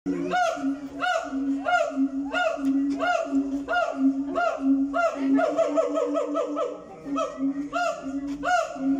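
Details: A zoo siamang gives loud, repeated harmonic calls over a steady low droning tone.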